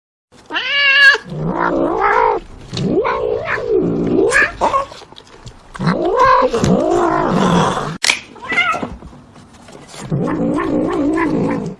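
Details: Domestic cat voicing its displeasure with rough, wavering yowls and moaning caterwauls that rise and fall, broken by short pauses, some with a growling edge, indoors.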